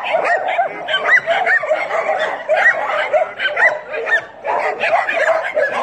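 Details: Several dogs yapping together, a steady tangle of sharp, high-pitched yips and barks that overlap without pause, swelling and easing slightly in short waves.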